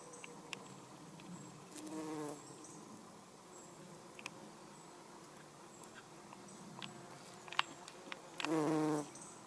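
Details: Brief bursts of bumblebee buzzing, one short hum early on and a louder second-long drone near the end, as a garden bumblebee moves among everlasting sweet pea flowers; faint clicks and rustles between.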